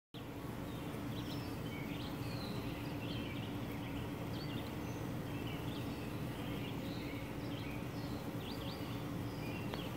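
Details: Western honey bees at the hive entrance at Essex County Environmental Center give a steady low droning buzz, with faint bird chirps above.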